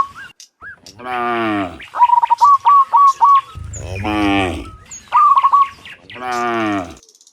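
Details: Dozens of cows lowing as they return from the fields to their pen in the afternoon: three sustained rich moos, separated by fast runs of high chirps from birds.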